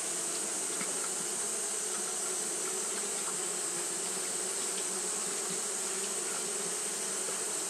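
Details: On a hot day, Japanese honey bees fanning without stop produce an even, droning hum with low harmonic bands and bright hiss, dotted with short clicks and passing buzzes.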